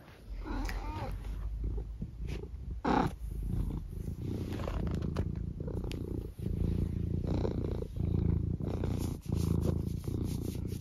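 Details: Eric, a domestic cat, purring at home on an early Sunday morning around food time: a steady low rumbling purr that swells and fades in breath-length cycles, with a woman talking to him nearby.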